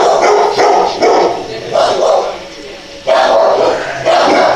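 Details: Cute dogs barking in repeated hoarse barks, clustered in a busy volley at first, then a short pause and two more strong barks, with faint talking behind.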